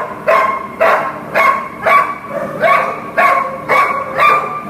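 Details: Repeated loud barks from Lily, a Greater Swiss Mountain Dog offered for adoption, evenly spaced about every half second, each bark bright and harmonic, with a quiet steady hum in the background.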